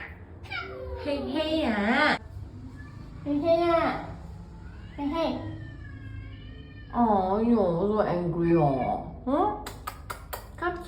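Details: MeowLord Hayes, a boarding cat at a cat hotel in Singapore, angry on checking in: long wavering harmonic meows and yowls in several bursts, mixed with a woman talking to him and faint music.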